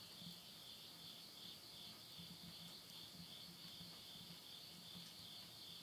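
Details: Insects chorusing at midnight in the Tottori countryside, Japan, at the end of summer, September 2020: a steady, high, shimmering trill held without a break, with faint low pulsing beneath from wood burning in a house stove.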